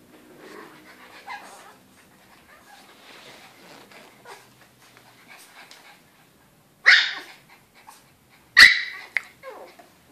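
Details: A Chihuahua and a Shih Tzu roughhousing together in a crate, recorded 8 June 2013: soft scuffling and faint grumbling, then two sharp, loud bark-like yelps about two seconds apart near the end.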